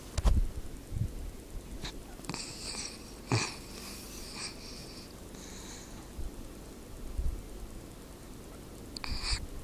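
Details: Dog snoring: rough, breathy snorts and wheezy breaths come in uneven bursts, with a louder rasping run of breaths near the middle and another snort toward the end.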